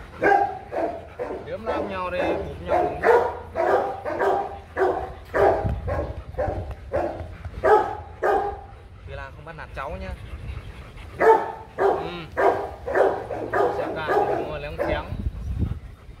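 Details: Two Rottweilers at the Gervi kennel fighting while being pulled apart: harsh, broadband barks and snarls repeated nearly twice a second in uneven runs, with human speech mixed in.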